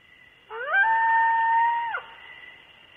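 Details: Coyote howling close to the microphone at night around 2:30 am at Starr Ranch: one smooth, sustained tonal howl rising quickly then holding steady for over a second before dropping off, with faint harmonics above.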